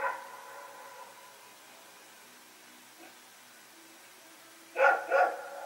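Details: Dog barking at night on September 21, 2018, Rex and a companion running around; a faint bark early on, a soft one midway, then two loud harmonic barks in quick succession near the end over a quiet background.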